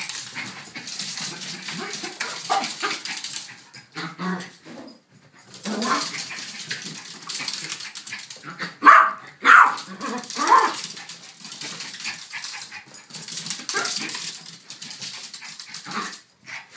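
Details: A pair of pet dogs, Billy the Yorkshire Terrier and Elizabeth Taylor the King Charles Spaniel, one of them giving a burst of three short, harsh barks midway through steady hissy scuffling and panting noise.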